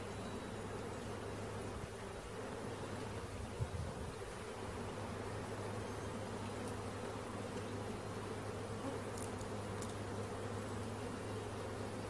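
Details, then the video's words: Honey bee swarm being caught, a dense, steady low hum of many wings holding unbroken for twelve seconds, with a constant low drone beneath and a single soft knock midway. "Catching Bees start to finish bee swarm"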